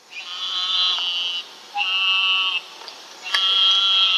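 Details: Eastern narrow-mouthed toad calling: three long, high, nasal buzzing bleats, each lasting about a second, separated by short quiet gaps, steady in pitch with a sharp onset and abrupt stop.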